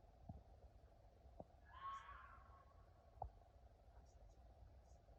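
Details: At night, a faint, hoarse, wavering cry sounds once against a steady low rumble; the recorder thinks it is a fox.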